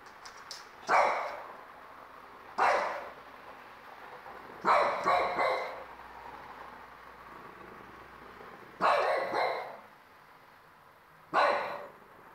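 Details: French Bulldog puppy, four months old, barking angrily at the TV indoors; short harsh barks come singly and in quick double or triple bursts at irregular gaps, about five bursts over twelve seconds, with a faint background hum.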